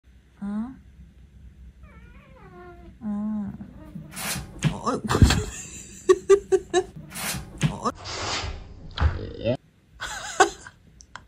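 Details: Pet cat at home indoors: a short rising meow and then a longer series of wavering meows in the first seconds, followed by loud clattering, knocking and rustling household noises.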